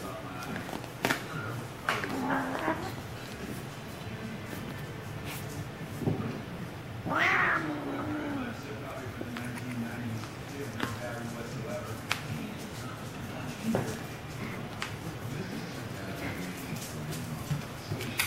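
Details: Daisy, a pet cat, attacking a mitten indoors; one sharp, harmonic cry bursts out midway, with faint softer calls around it, while people talk throughout and handling noises and thumps come and go.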